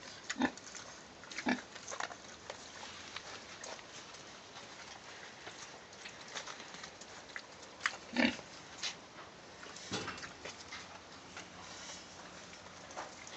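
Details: Farm pigs kept in a clean pen: a string of short broadband grunts and snorts scattered across the stretch, a few louder ones near the start and around the middle, over a steady background hiss.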